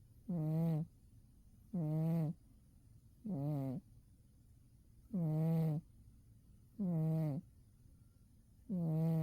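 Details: Winter nap of Umi the cat: six slow, regular snores, each a low resonant hum lasting around half a second, repeating roughly every one and a half seconds in a quiet room.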